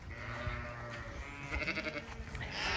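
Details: Zwartbles ewes bleating, calling out after hearing food being poured while the flock waits uphill to be released into the field; drawn-out, wavering, overlapping bleats with a steady harmonic tone, some rustling and handling noise underneath.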